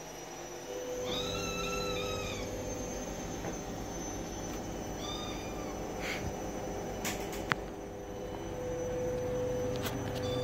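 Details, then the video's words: Domestic cat meowing indoors: three drawn-out, slightly arching meows spaced about two seconds apart, followed by a few sharp clicks and knocks over a steady background hum. "Cat meowing"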